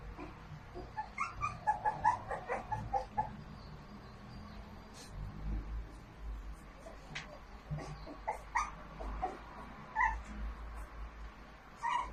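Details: Merle American Bully puppy giving short high whimpers and yips in scattered bursts, some clustered around two and ten seconds, over a steady low rumble and occasional clicks and knocks.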